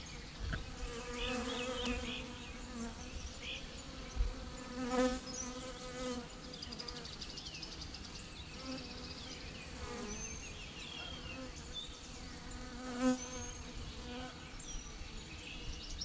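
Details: Honey bee swarm: a steady, droning hum with a low buzzy tone and strong overtones, swelling briefly in loudness near four, five and thirteen seconds, with faint high chirps scattered above it.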